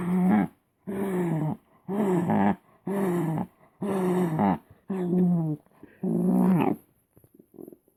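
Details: Shetland sheepdog voicing pleasure with a funny noise: seven rhythmic, low, groaning moans of about half a second each, evenly spaced roughly once a second, then quiet snuffles at the end.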